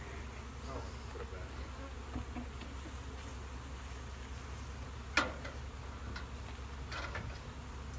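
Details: Inside a bee shed, honey bees keep up a continuous low buzzing drone, broken by a single sharp click about two thirds of the way through and a few faint taps.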